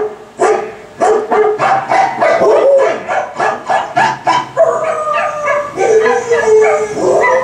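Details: Pet dog howling and yipping along while a Volkswagen commercial with Star Wars music plays; a series of rhythmic wavering vocal bursts, roughly one every half second, then longer drawn-out howls, with faint television speech.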